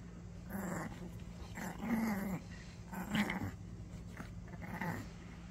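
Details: Ten-year-old Maltese, a small dog, growling during a tug-of-war game indoors: low rumbling growls in short bursts about every second, rising into louder throaty surges, over a steady electrical hum.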